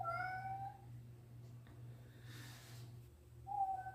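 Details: House cat meowing: a long clear meow that rises slightly and then holds, a pause with some faint rustling, then another meow starting at the end, over a low background hum.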